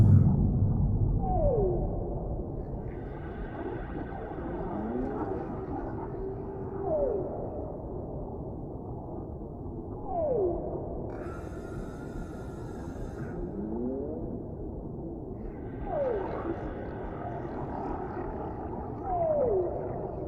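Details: Echoing whale calls from the deep sea: repeated short downward-sliding cries every few seconds, mixed with softer rising sweeps, over a constant low rumble and occasional brief hissy bursts.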